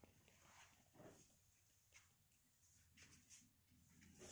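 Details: A Rottweiler guarding its ball gives short, rough bursts of sound against a quiet, hissy background.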